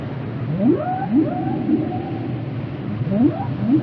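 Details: Singing whale: repeated short rising whoops, roughly two per second in clusters, each trailing into a gliding higher tone, over a steady low rumbling underwater background.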